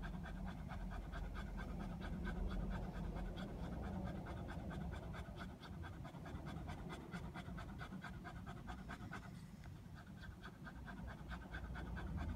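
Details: Biff, a Border Terrier, pants while sunbathing outdoors, hot but refusing to come in; quick, steady breaths at roughly three per second, a rhythmic huffing that continues throughout over a low background rumble.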